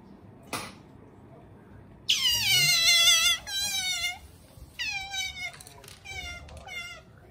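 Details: A pet otter, Bingo, cries while swimming briskly about after a meal, then sleeps; after a single sharp tap come high, wavering, squeaky squeals, one long drawn-out cry and then several shorter ones over about five seconds.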